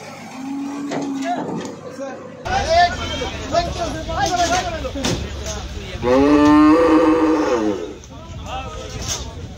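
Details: Cows being unloaded, lowing repeatedly: a short low moo first, then louder drawn-out moos with rich harmonics, the longest and strongest lasting about two seconds near the end, over a rumbling background with faint voices.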